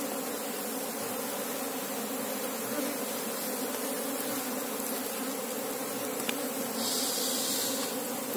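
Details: Asian honey bee (Apis cerana) colony during a search for its queen; a steady, dense buzzing hum with even low tones held throughout, and a brief brighter hiss near the end.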